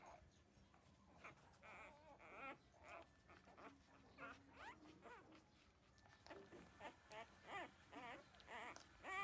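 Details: Thirteen-day-old newborn puppies nursing at their mother, drinking milk; scattered high, wavering whimpers and squeaks come in short bursts with pauses, amid soft suckling and shuffling noise.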